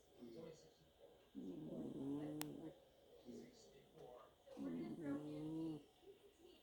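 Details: Sleeping cat snoring: two long, low, rasping breaths with harmonic tones, each lasting about a second and a half, separated by quieter intakes; a faint voice and a brief high tone in the background.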